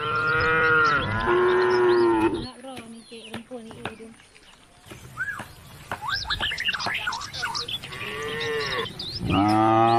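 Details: Cows on country roads calling the herd home to the barn; a drawn-out moo opens, a quieter gap follows with chirping birds, then another long, slightly falling moo ends the stretch.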